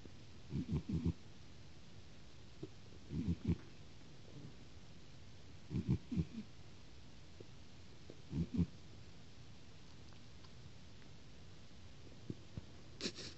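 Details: Snoring cat: low, grumbling double and triple snorts recurring roughly every two and a half seconds, softening toward the end, with a brief sharp noise at the close.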